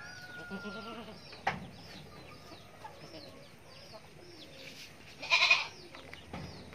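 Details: Young goat kid giving one loud, harsh, wavering bleat near the end, after several seconds of small birds chirping with quick downward notes and a thin steady whistle early on.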